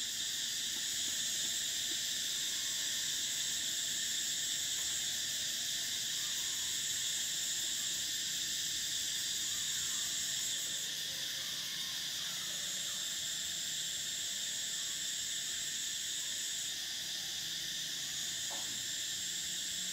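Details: A summer cicada chorus forms a continuous high, hissing drone. Its highest band fades and returns near the middle and again toward the end, while the lower layers hold steady throughout.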